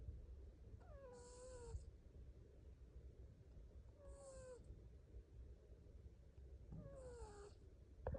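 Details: Snoring cat in sleep, a steady low rumble broken by three evenly spaced squeaky, falling whistles with a breathy hiss, roughly every three seconds.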